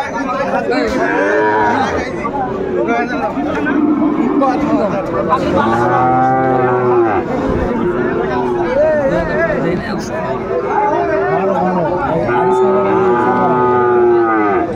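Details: Sahiwal breed bull at Ambari cattle market in Netrokona, 8 November 2024, as a local farmer buys it: drawn-out, wavering moos swelling at intervals over steady crowd chatter and market bustle.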